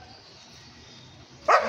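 After a near-silent start, a dog lets out one abrupt, harsh bark. The dog is barking at people as they pass by.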